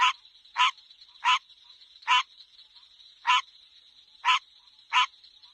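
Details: Frog croaking at night: eight rasping, broadband notes spaced about two-thirds of a second apart, set against a continuous thin high-pitched drone.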